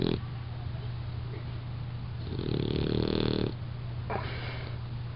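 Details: Sleeping puppy Bruce snores: a long raspy drawn-in breath lasting over a second, then a shorter rasping snort, over a low steady hum.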